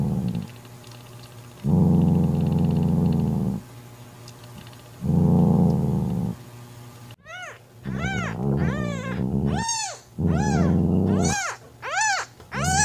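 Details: Mother cat Mocha growling to drive her jealous sister Kofi away from her newborn kitten: long low rumbling growls in two bursts, then a run of rising-falling wails and yowls toward the end.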